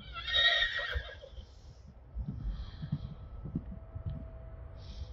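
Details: Friesian horse whinnying: a loud, high, shaking neigh of about one second that trails off. It is followed by low thumps and hoof-like knocks, with faint stable noises in the background.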